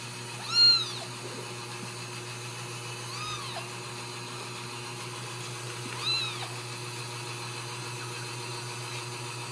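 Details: Ragdoll kittens, raised in a home without cages at a cattery in central Kansas, give three high, thin meows that rise and fall, spaced about three seconds apart, over a steady low hum.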